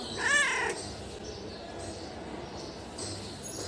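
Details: A chatty pet cat gives a single short meow that rises and then falls in pitch near the start, followed by several seconds of quiet room hiss with no further calls.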